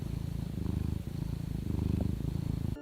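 A domestic cat purrs steadily, a low rumbling vibration rising and falling with each breath.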